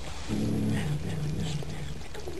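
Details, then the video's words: Domestic cat growling while eating: a low, steady, droning rumble with a faint tonal hum that swells and holds for about a second, over a constant background hiss. "Cat growling while eating"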